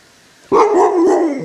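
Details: Alaskan Malamute, a pet dog, talking: a sudden wavering woo-woo howl-like vocal lasting about one second, pitch bobbing up and down in a sing-song pattern before trailing off, over a quiet indoor background.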